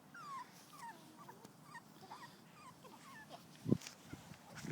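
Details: Puppies outside making faint, high, sliding whines and little yips, with soft rustling and a sharp low thump near the end.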